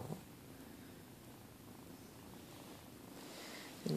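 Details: Pet cats purring on a bed indoors in the morning: a soft, low continuous purr under a woman's quiet affectionate talk, ending in a louder rustle.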